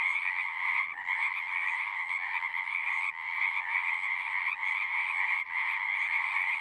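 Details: Pond frogs in a horse pasture sing together, recorded with a Zoom 6. Overlapping trills form a constant high buzz with a lower layer beneath, broken by short hushes around one, three, four and a half, and five and a half seconds.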